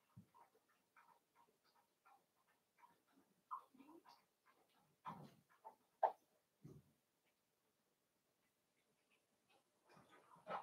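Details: Playing Cavalier King Charles Spaniel puppies raised indoors in a home pen, with soft scattered whimpers, small yips and scuffling noises through the first half, a quiet stretch, then a renewed burst of faint squeaks.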